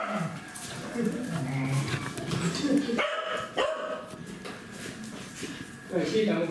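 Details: Welsh Corgi barking in a coffee shop: short harmonic yips and barks repeated in the first three seconds, then a higher yelp near the end, with people talking, background music and café clatter.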